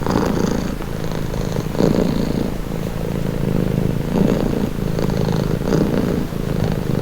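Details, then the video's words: Relaxing cat purr, low and buzzy, with louder pulses every one to one and a half seconds as each breath cycles through the steady rumbling. "Purring cat | Calming Relaxing Nature Sound"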